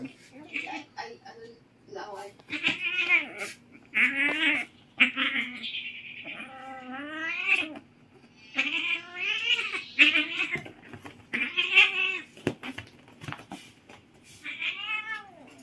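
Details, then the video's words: Two Siamese cats wrestling noisily at home in the Philippines, trading loud harmonic yowls that rise and fall in long wavering wails, some drawn out over a second, in rapid overlapping bursts with short gaps and brief clicks between. "Noisy wrestling ng Siamese cats!"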